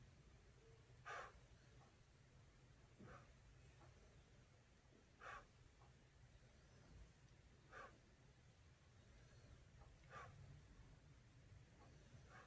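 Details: A Boston Terrier lying on a warm heated floor and sleeping gives short, breathy snorts or huffs every two to three seconds over a low hum.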